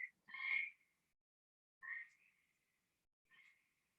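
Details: Gray treefrog recording played in a herpetology lecture on Ohio frogs, described as a sustained, higher-pitched warble: three trilled calls, the first loudest and longest, each trailing off into a thin buzzy tail, with silence between.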